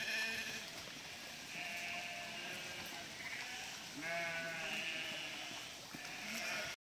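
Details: Large flock of about 1000 sheep crossing a river under a border collie's herding; long wavering, harmonically rich bleats overlap almost continuously, with higher and lower voices mixed over background hiss.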